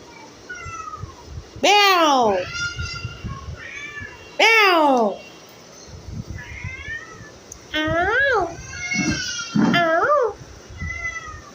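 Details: House cat meowing loudly indoors: long arching wails that rise then sweep down, several in a row, some drawn out and strained, with a woman talking softly in Bengali between them.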